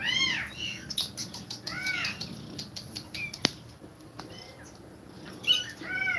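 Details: Mother cat feeding her kittens and breathing rapidly. Bright arched mews open and close the stretch, broken by sharp clicks and knocks in the middle, with weaker calls in between.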